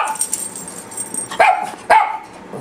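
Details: Brief snippet of the papillon duo: two crisp, high-pitched barks about half a second apart over a faint background hum.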